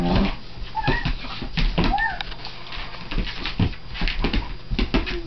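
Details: A Siberian Husky and a Collie playing together indoors; short rising whines and yips over scuffling, panting and thumps of rough play, with a person's voice faintly heard.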